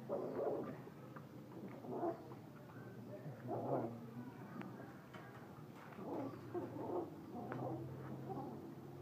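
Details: Black pitbull and Dalmatian cross puppies from a litter of six, three female and three male, dewormed and vaccinated, in Hanoi. Short, high whimpering yelps come in uneven bursts about every two seconds over a low background hum.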